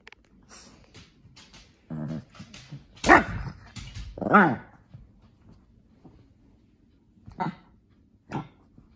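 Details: A playful, talkative Shih Tzu/Pekingese dog playing with a lion cub toy in the afternoon gives short, harmonic barks, throaty grumbles and snorts at irregular intervals.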